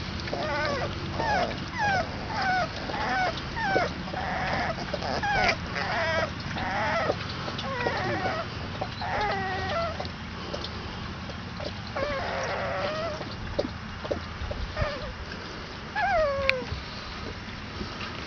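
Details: Twenty-two-day-old Basset Hound puppies crying together, a dense run of short, pitched squeaks and bent whines, some rising then falling, repeated almost continuously over a low steady hum.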